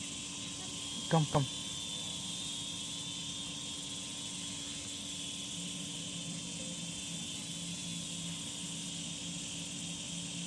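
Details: Cicadas keep up a long, level high-pitched drone. Two brief sharp knocks sound near the start, and a soft low hum runs steadily beneath.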